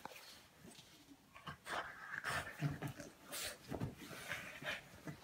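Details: A French Bulldog snorts, snuffles and pants close by in quick, uneven bursts while waking a sleeping person.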